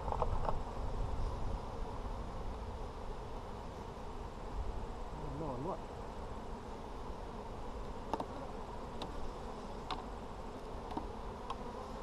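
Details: Honey bees in an Apimaye hive during a July 23, 2020 inspection for brood; a steady low buzzing hum fills the clip, with a wavering pitched drone near the middle and a few faint clicks.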